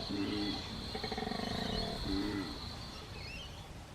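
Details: Koala bellowing in the Australian bush, a usual sound to locals but daunting to newcomers; a rapid snoring, grating inhale flanked by deeper resonant tonal exhalations, with faint bird chirps.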